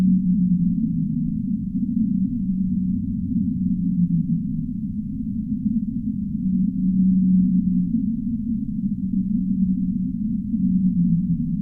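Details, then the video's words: Deep-sea whale calling with long, low, smooth moans that hold a level pitch for one to two seconds, repeated several times, some sliding slightly downward, under a continuous muffled underwater rumble. "Whale Sounds of the Deep Sea"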